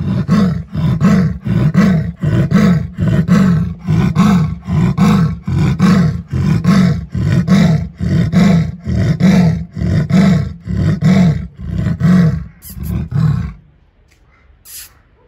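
A leopard gives its rasping roar, a long run of deep, hoarse grunts like a saw through wood.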